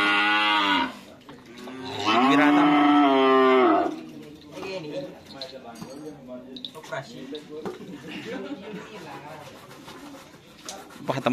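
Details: Cattle during karapan sapi (bull race) training at the Asemanis field in Pamekasan: two long, strained, harmonic moos, the second rising and held nearly two seconds, followed by crowd voices and bustle.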